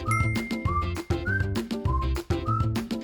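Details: Only music is heard: a steady beat with chiming, bell-like notes and short sliding tones, and no animal.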